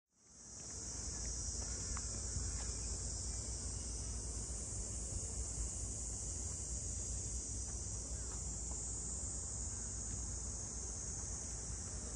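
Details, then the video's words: Cicadas in summer around the traditional funaya boat houses of Ine, a port townscape north of Kyoto, Japan; a shrill, unbroken high-pitched drone holds steady from start to finish, with faint scattered clicks beneath. "cicadas voice"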